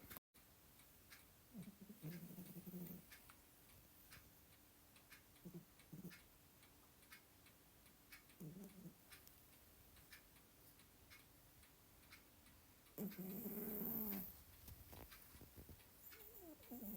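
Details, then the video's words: Domestic cat snoring indoors: soft, low, breathy snores come in short bursts every few seconds, while a clock ticks steadily in the background and a louder rasping breath rises near the end. "Кот храпит"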